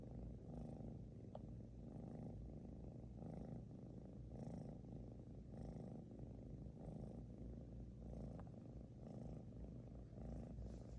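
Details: Loud snoring from 小乖, a British Shorthair cat: a steady train of low, raspy rumbles, roughly one breath per second over eleven seconds, with two faint clicks in between.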